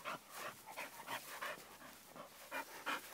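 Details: A French Bulldog puppy on grass, holding a plant pot that blocks his view, pants steadily, roughly three breathy puffs per second, some huffs stronger and rasping, with no other clear sounds.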